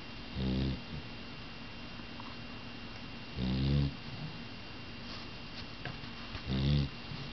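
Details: A loud young female dog, still growing, snores while asleep. Deep, rough, rumbling breaths come about every three seconds, three in all, with a quiet room hiss between them.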